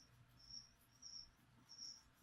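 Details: Feeder crickets kept as food for a pet leopard gecko, chirping indoors: three faint, high, buzzy pulses spaced about half a second apart over a low steady hum, ending in a sharp knock.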